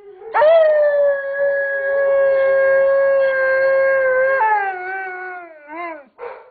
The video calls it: Smokey the Alaskan Malamute Howling